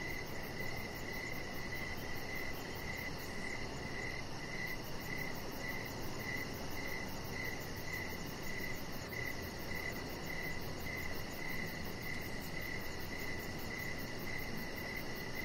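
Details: Crickets in the evening beside a deck strung with decoration lights: a steady train of mid-pitched chirps, about two per second, over a faint, fast, high-pitched pulsing and a constant low rumble.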